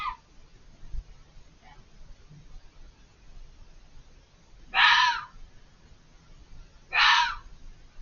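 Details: Fox screaming from behind a hedge, out of sight, and calling persistently: two loud, harsh, raspy screams about two seconds apart near the end, each roughly half a second long, after fainter earlier cries over low background rumble.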